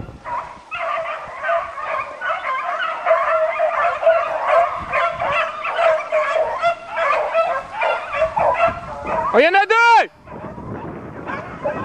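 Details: Roe deer chase with a beagle pack: many voices bay together in a steady, loud, ringing cry that swells and dips. Near the end, one long rising then falling wail stands out before the chorus resumes more faintly.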